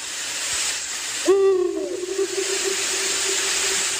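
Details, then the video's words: Domestic cat giving a single meow: a sharp start sliding into a long, steady, level tone that fades out over a couple of seconds, against a constant high hiss in the background. "Cat fluffy makes her sound."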